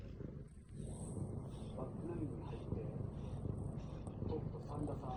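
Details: Kitten kneading and suckling while drowsy, giving a close, continuous low purring rumble that swells slightly in loudness, with a faint steady high whine above it.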